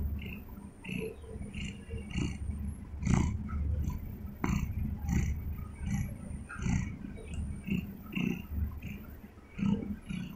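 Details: A domestic cat lying in bed purrs, a steady low rumble swelling and easing with each breath.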